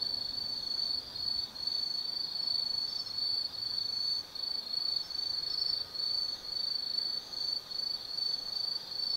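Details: Autumn night at Tsukimi no Mori forest in Kaizu, Japan: insects produce a continuous piercing high trill, its loudness dipping in short, repeated pulses.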